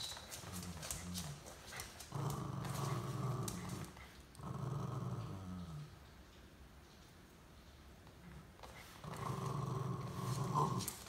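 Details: Welsh Terrier growls while dragging another dog along for a ride: low, rough, sustained growling in four long bursts of roughly two seconds, with quieter breathy gaps and some rustling between them.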